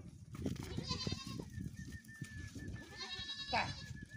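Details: Goat crossing a pole above a canal, where a kid falls into the water. Short, wavering bleats are heard near the start and again near the end, over a background of rustling and clattering noise.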